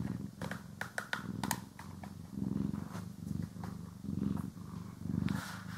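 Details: Cat purring as it is brushed and groomed, stereo recording: deep rhythmic purr pulses about every second, with sharp bristle swipes and soft rustling heard mostly in the first half.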